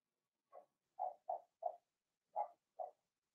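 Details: Young Blenheim Cavalier King Charles Spaniel puppies, two girls and four boys, in a home puppy pen. Six short, low, throaty grunting yips come in an uneven run, some close together, with quiet gaps between.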